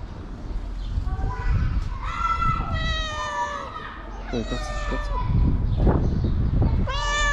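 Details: A feral, homeless cat meows for affection and food while resting his feet on someone's knees. A run of drawn-out, bending meows repeats several times, mixed with nearby human voices and low background noise.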